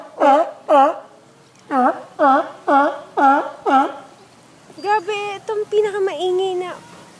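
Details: A sea lion at a marine park in summer 2011 gives a run of hoarse, harmonic barks, then longer wavering calls.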